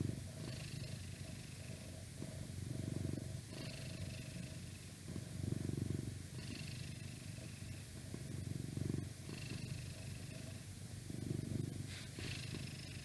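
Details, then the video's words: Purring of a 12-year-old male house cat, the oldest of six, recorded indoors close to a laptop; a low continuous rumble swelling in soft waves about every two to three seconds, with faint background noise. "Cat Purring"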